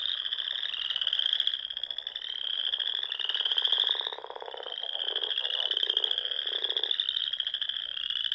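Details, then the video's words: Many frogs calling together on a spring evening around Sandhills ponds in Nebraska, a steady wall of high rapid trills swelling and fading in waves, while a deeper pulsed croaking rises briefly in the middle. "RELAXING SOUNDS OF FROGS"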